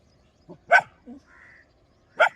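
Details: Dogs barking in India as they chase away wild boars: two loud, sharp barks about one and a half seconds apart, with softer short sounds and a brief tonal note in between.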